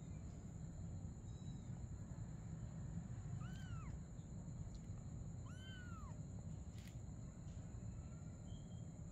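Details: A mother cat and kitten at play together at night; two clear arched meows, rising then dropping, about two seconds apart, set against steady low background hum with a thin high tone.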